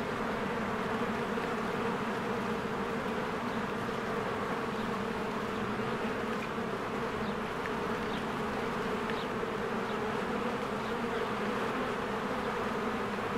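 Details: Swarms of bees working at their hive on a spring day produce a constant, even humming drone; scattered faint bird chirps come through in the background.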